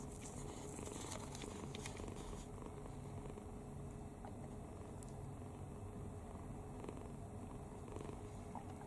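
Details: Kitten sleeping soundly with its mouth open, completely relaxed, snoring; a continuous low, soft rumble throughout with a few faint clicks and rustles above it.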